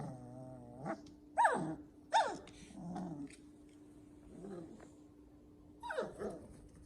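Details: Poodle puppies from a new litter of nine, born to first-time mother Lulu on a farm: a thin, steady whine gives way to two sharp rising-then-falling yelps, then softer low grumbling squeaks.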